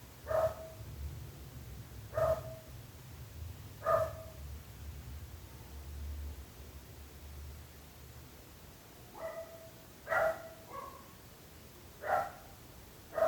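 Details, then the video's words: Barking dog, single clipped barks spaced about two seconds apart, then a busier cluster of barks near the end, over a steady low rumble of background noise. "26 minuts gossos lladrant / 26 minutes barking dogs"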